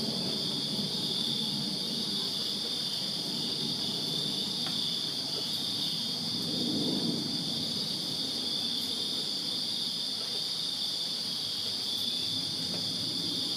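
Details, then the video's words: Crickets chirping in a backyard on a summer night in Virginia: a dense, unbroken high-pitched trilling chorus in two shrill layers, with a soft low rumble swelling briefly around the middle. "Crickets Chirping Summer Night in Virginia"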